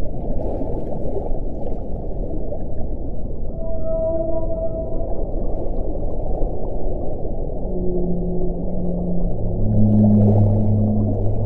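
A whale gives low, drawn-out tonal moans against a steady underwater hiss.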